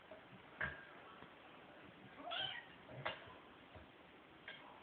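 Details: Bug and Feature, two identical house cats, playing; a short bright meow near the middle, between sharp taps and thuds from their tussle.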